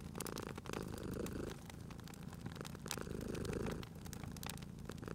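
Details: Sleeping domestic cat purring beside a crackling fireplace: a steady low rumbling purr swelling in long breaths, about two per five seconds, with sharp pops and snaps of burning wood scattered throughout.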